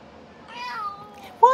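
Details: Playful, feisty pet cat giving love bites while being petted indoors, uttering a drawn-out harmonic meow that rises then levels and falls, followed by a sharp louder cry at the end; a woman's voice talks to her nearby.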